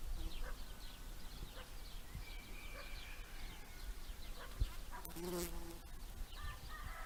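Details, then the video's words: A bumblebee collecting pollen gives a low, steady droning buzz that rises and fades as it moves about, with faint high bird chirps in the background. "Bumblebee collecting pollen, with some faint birds in background"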